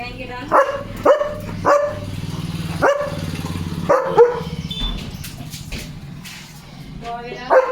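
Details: Freshly bathed German Shepherd dog barking to show anger after its bath: a run of short repeated barks about every second, mixed with people talking in Marathi and Hindi.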